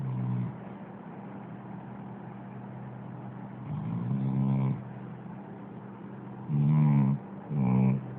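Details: A dog snoring: three low, rattling, pulsed snore bursts near the end, each lasting under a second, over a steady droning hum throughout.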